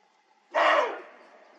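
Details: A roe deer buck gives a single harsh, hoarse bark about half a second long in an autumn rutting-season mountain gorge of the Dzungarian Alatau, echoing briefly off the surrounding slopes.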